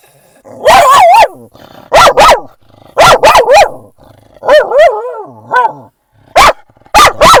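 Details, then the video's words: Dog at a San Diego dog park around sunset, barking at other dogs in friendly excitement: loud, ringing barks in single and double bursts, some stretched into wavering yelping howls, with short pauses between. "Barking at Every Dog!"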